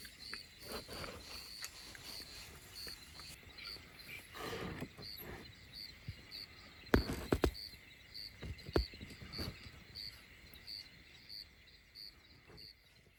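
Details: Lions roar at about 4:30 a.m. in pre-dawn dark, thought to be maybe 100 m from a campsite in the Khwai/Magotho area of Botswana; deep rumbling moans rise and fade over a steady high insect chorus, with a few sharp nearby knocks.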